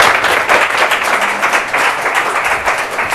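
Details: Steady applause from an audience fills the recording, with no animal sound.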